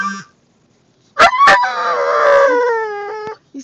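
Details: Mildred, a pet Boxer, whining and crying at the sight of other dogs on a car drive; a long harmonic whine slides down in pitch for about two seconds after two sharp clicks, with a person asking about the dog around it.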